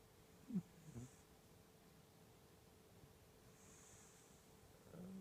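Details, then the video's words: Pet cat snoring hard indoors: two short raspy snorts about a second apart near the start, a stretch of quiet low breathing, then another rough snore rising at the end, over a steady faint room hiss. "Snoring Cat / Chat qui ronfle"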